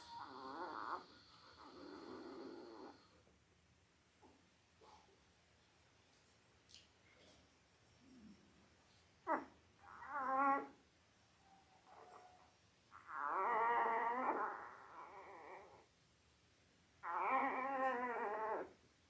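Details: Labrador Retriever litter of eight, five days old, born October 15, 2023 to mother Belle; soft grunts and short squeaks build into two drawn-out quavering wails, separated by quiet pauses, in an indoor room.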